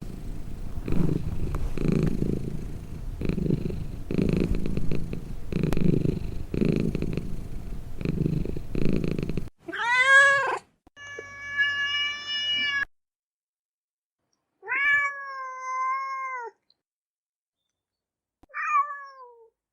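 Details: Domestic cat purring in rough rhythmic pulses for about nine seconds, then three drawn-out harmonic meows with falling ends, separated by short silences.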